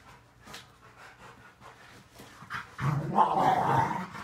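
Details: Several Rottweilers wrestling in play in a living room: soft scuffling and panting, then a sudden loud, rough, low growling burst over the last second and a half.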